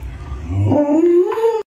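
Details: Luoluo, a pet Alaskan Malamute, howls while its owner wears a mask to scare it: one smooth, tonal howl rising slowly in pitch for about a second and a half, then cutting off abruptly, over a low indoor hum.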